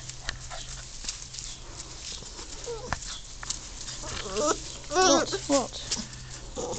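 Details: German Shorthaired Pointer puppies let out onto long grass for the first time on an afternoon of 12 June 2014, exploring and playing; brief high whimpering yelps with wavering harmonics cluster near the end, over grass rustling, handling noise and a human voice.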